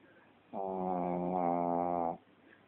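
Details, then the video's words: A Shih Tzu asleep and snoring: a single steady, buzzy drone of about one and a half seconds, evenly loud from start to finish, in a quiet room. "Snoring shitzu"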